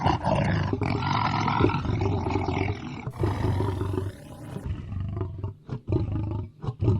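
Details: Lion giving deep, powerful, harmonic roaring growls that run unbroken for about three seconds, then a strange sweeping whine intrudes before the growls return as broken, gruff grunts.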